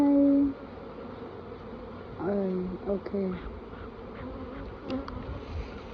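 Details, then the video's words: A brief loud bee buzz opens, then a softer hum continues under close, excited male speech at a Khmer bee farm. "ឃ្មុំ ហៀរបង្គង"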